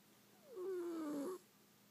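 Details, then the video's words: Sleeping kitten snoring once: a single whistled, slightly descending nasal tone lasting under a second, set against a quiet room. "Snoring kitty face"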